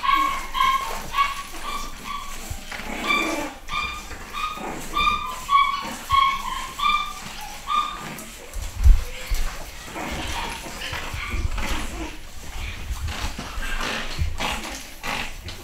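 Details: A litter of nine-week-old pedigree Pug puppies, boys and girls, home bred in the UK. A run of short, high whimpers repeats rapidly over the first eight seconds, then fades into quieter rustling and scattered faint yips.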